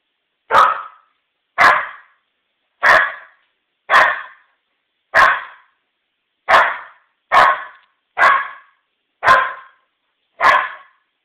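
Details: Eight-month-old Old English Sheepdog puppy Maisie guards her family against a stem of lilies brought inside from the backyard, giving ten short, punchy barks at roughly one-second intervals, a steady but uneven volley in an otherwise silent room.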